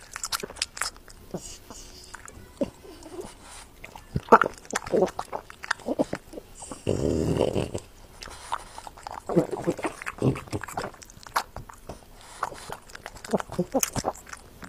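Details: French Bulldog eating, recorded close up indoors; irregular wet chewing and crunching clicks, with a denser munching burst around the middle and scattered bites throughout, plus faint background speech.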